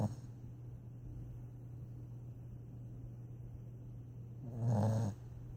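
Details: Dog asleep, giving one rasping snore near the end after a quiet stretch with a steady low background hum.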